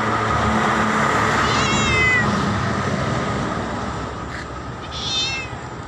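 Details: A black cat meows loudly at its owner, giving a falling meow followed later by a shorter, fainter one against a constant low rumble.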